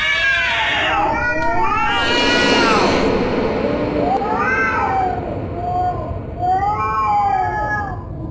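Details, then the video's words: Domestic cat giving scary, drawn-out yowls: wavering arched wails rising and falling, one long harsh cry near the start followed by several shorter moaning meows, with a steady background hiss. "Scary cat sounds"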